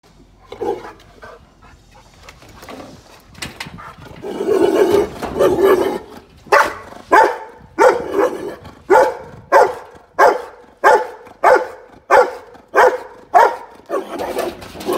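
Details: Boerboel, with the question of dog aggression raised, starts with muffled rumbling and low growly noise, then settles into deep, steady barks repeated roughly every two-thirds of a second for about nine seconds.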